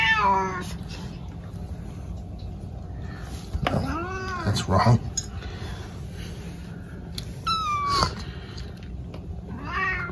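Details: Pet cat meowing indoors: a few separate arched, harmonic meows spaced several seconds apart, one a sharp falling cry, over a steady low room hum.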